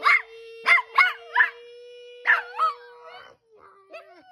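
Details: A Chihuahua "sings", giving a series of short, high, yelping howls over a steady sustained tone.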